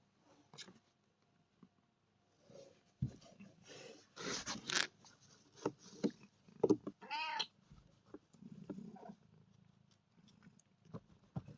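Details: Kitten named Sofia, a rescued stray, playing: one short arching meow with rich harmonics near the middle, amid rustling, scratching and thumps of play, with low purr-like rumbles toward the end.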